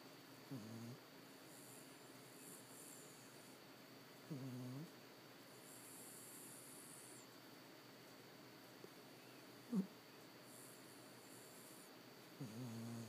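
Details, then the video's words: Charlie the puppy sleeps and snores in short, low, throaty breaths every few seconds, with a quiet click partway through and a hushed room behind. "Snoring Puppy"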